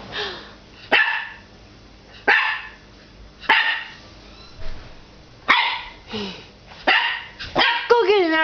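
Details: Nine-week-old puppy Axel barks at his reflection in the glass door of a fireplace: short, sharp barks repeated about every second or so, ending in a rapid whiny, wavering yelp.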